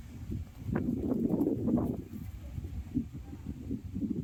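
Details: Goat bleating: a rough, pulsing, low-pitched cry lasting about a second, followed by a shorter, fainter bleat, over a steady outdoor rumble.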